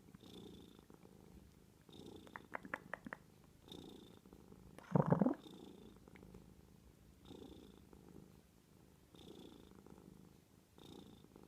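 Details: A domestic cat purring close by: a low rumbling hum that swells and fades with each breath, a brief louder bump or scrape midway, and a few small clicks.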